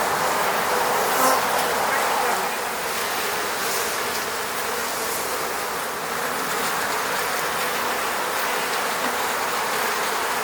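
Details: Moscow-region honey bees around their beehive at an apiary; a steady crowd hum of many bees with short whooshing fly-bys and a faint brief tone near the start.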